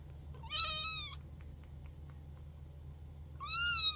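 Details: Kittens, sisters handled indoors, give two shrill meows about three seconds apart, each rising then falling, with a quiet low hum between them.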